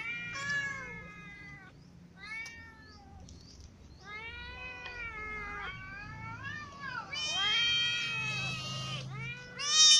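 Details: Ginger cat clawed by a new white cat while it eats, so it feeds lying down; a string of harmonic meows and caterwauls, some rising and falling, several overlapping, getting louder and shriller toward the end.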